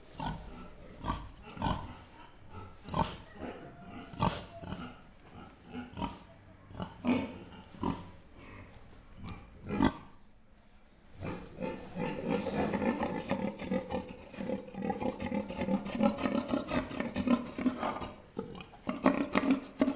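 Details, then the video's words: Pig recording: short broadband grunts repeat irregularly, roughly three per second, then from about twelve seconds give way to a denser, louder run of harmonic grunting and squealing noises, with nothing else clearly audible. "Pig Sound Effect"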